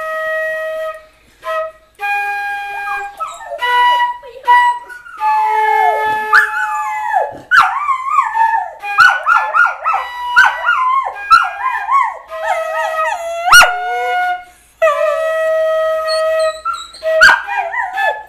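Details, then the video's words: A dog howling along to a flute: steady, held flute notes with wavering, sliding howls that rise and fall over and between them, in several long drawn-out bursts with short pauses. "Dog Howls at Flute"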